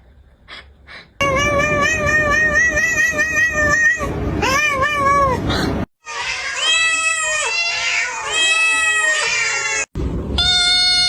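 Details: Cat meowing almost without a break in long, loud, slightly wavering cries, interrupted by two short silences, over a low background hum.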